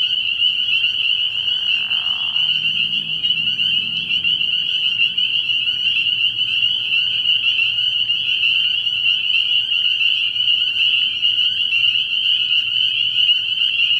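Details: Spring peepers calling at night from a frog pond early in the year, a dense shrill chorus of high piping peeps merging into a steady ringing band, with a brief lower rasping call near the start.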